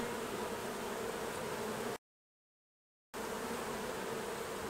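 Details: Honey bees buzzing during a honey harvest from the hives: a continuous droning hum, broken once by about a second of total silence before the same steady buzz returns.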